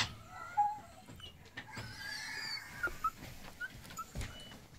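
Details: Miniature Dachshund puppies, three females, giving soft high whimpers and short yips in scattered bursts, quiet background with faint rustling.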